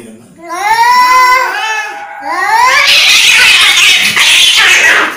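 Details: {'caption': 'Angry cat letting out a quavering, drawn yowl that breaks off into a loud, harsh, breathy hiss lasting several seconds.'}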